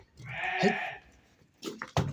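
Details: Domestic sheep from a group of pregnant chestnut-coloured ewes, with a lamb nearby: one drawn-out, wavering bleat of under a second, followed by men talking and handling noises.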